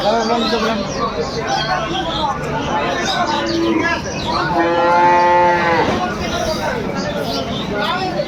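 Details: At Aftabganj cattle market in Dinajpur on 9 December 2025, where cows are sold with their calves, one long, steady moo swells near the end of the clip, set against a busy hum of human talk.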